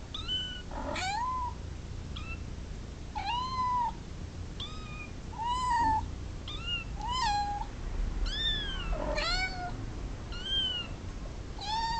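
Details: Domestic cats meowing repeatedly over steady background noise, a rapid series of short, clear meows, some dipping and others rising, coming roughly every second.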